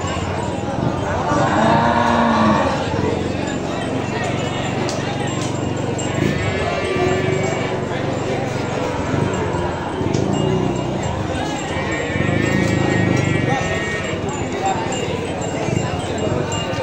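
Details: Cattle at a livestock market in East Java, Indonesia, where breeding cows are offered for sale. A low, drawn-out moo swells near the two-second mark, set against constant crowd chatter, traders talking and faint background music.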